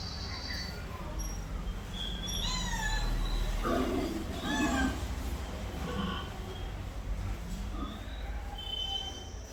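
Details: House cat making a run of short, wavering mews and chirps over several seconds, mixed with low human voices and household background noise.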